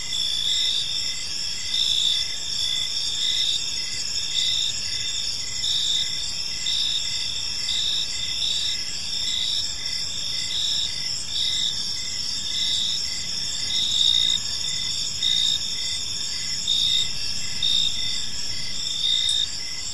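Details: Long stretch of evening cricket chorus in a tranquil park: continuous high-pitched trills layered with pulsed chirps repeating steadily, slight swells in loudness, quiet low background noise.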